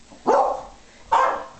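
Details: Kaiser, a 5-year-old pet beagle, indoors on Dec. 9, 2010, during a session learning the words "monkey" and "bear" with treats and mandarin orange: two short, sharp, mid-pitched barks about a second apart, with quiet between them.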